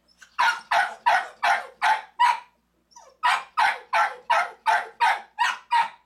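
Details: Dog barking in loud, evenly spaced bursts, about three per second, with a short pause midway, recorded at home where Big Allie nurses her four ten-day-old black male pups; low hum beneath.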